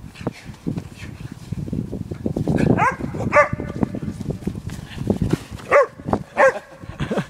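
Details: Female Podenco Canario barking while chasing her owner through a snow-covered dog park in Stockholm at minus four degrees; a few sharp, ringing barks near the end rise over steady low crunching and rustling noise.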